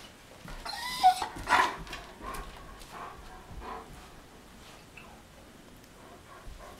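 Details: German Shepherd barking at a big truck passing in the street: a few short, loud broadband barks in the first two seconds, then softer scattered barks and whines fading over the remaining seconds.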